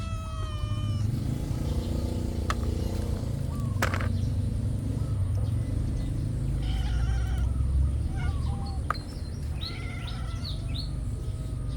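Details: Several cats squabbling over food: a clear harmonic meow opens, then scattered short, rising calls and clicks follow beneath a steady low-pitched rumble.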